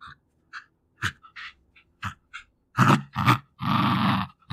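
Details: Two-year-old female Jack Russell Terrier fighting for her favourite toys: quiet snuffly sniffing and short breathy bursts, then loud rasping growls toward the end, the last one drawn out for over a second.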